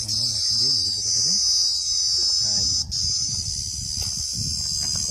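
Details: Cricket in India producing a loud, continuous, high-pitched shrill trill, steady throughout, while people nearby complain about the racket and call for a stick to chase it off.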